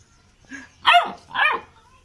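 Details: A Labrador Retriever puppy at home gives a soft lead-in yelp and then two clear, loud barks about half a second apart, each with a rising then falling tone.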